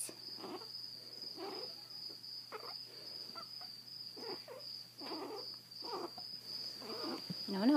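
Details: Zada, a grumpy, blind 7-week-old female Chihuahua puppy with severe hydrocephalus, rescued from a Fort Worth, Texas shelter, growls indoors in rough, noisy bursts recurring roughly every second, with a person's voice briefly at the end.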